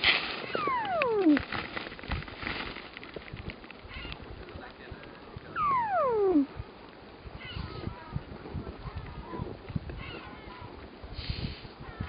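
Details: A Weddell seal sleeping on shore at Ronge Island, Antarctica, gives two eerie, whistled glides falling smoothly from high to low pitch, each about a second, with soft rustles and steady wind hiss; possibly sounds of dreaming, as these calls are normally for underwater communication.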